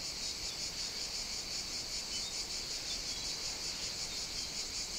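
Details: Steady, high, hissing buzz of cicadas singing on a summer morning near an outdoor caffè in Sicily, Italy, with gentle pulsing in the chorus.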